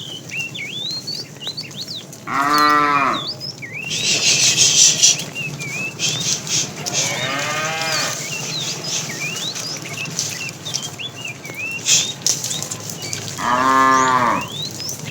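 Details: A fat cow in a tame herd, being herded in the afternoon, calls the female with three short, harmonic moos spread across the recording, against busy, high bird chirps and some rustling.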